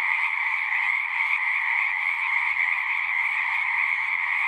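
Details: Many frogs singing together as natural sound, a continuous shimmering wall of calls layered in a mid band and a higher band, with no pauses and steady volume throughout.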